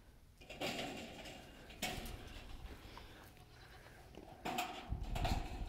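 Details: Goat (Capra hircus), bleat.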